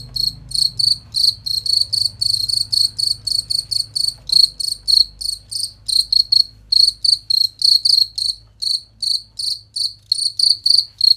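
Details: Cricket chirping used as a master recording to train competition songbirds: clear, bright, shrill pulsed chirps, about four per second, each a short burst of rapid trills, continuing steadily with brief irregular gaps and faint low hum beneath.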